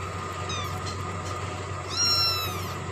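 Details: Two high-pitched kitten meows, a faint one early and a louder, longer drawn-out cry later, while the young cat drinks milk; a low background hum runs throughout.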